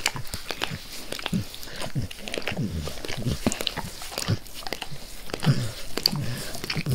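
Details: Max the dog eagerly licking his owner's face: wet, smacking clicks and slurps in irregular rapid bursts, with soft low thumps underneath and no talking.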